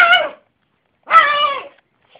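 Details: Yorkshire terrier with a funny bark giving two drawn-out, tonal, whine-like barks, each roughly half a second long and separated by a short silence.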